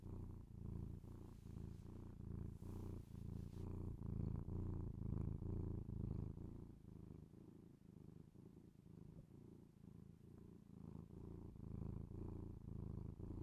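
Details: Domestic cat purring, recorded binaurally indoors: a continuous low rumbling purr with fine pulsing, swelling and easing with each breath, with a brief soft rustle near the start.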